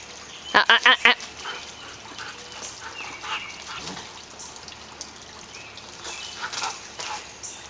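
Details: Pet Samoyed Suka playing with children, giving a rapid burst of four loud, ringing barks within about half a second, then quieter rustling and faint voices.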